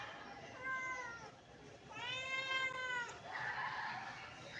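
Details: British Shorthair kittens, hungry and wanting breakfast, give two plaintive meows, a shorter one then a longer louder one, followed by a brief rustling noise.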